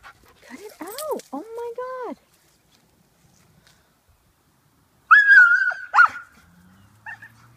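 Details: An Alaskan Malamute, worked up when his owner goes skateboarding without him and wanting to pull him too, gives a run of arched, wavering woo-woo calls, rising and falling like a talking howl.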